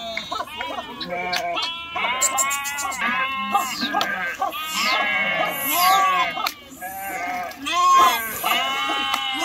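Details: Sheep jumping into a river and swimming across, a dense chorus of wavering bleats from many animals, overlapping and rising and falling, with splashing noise throughout.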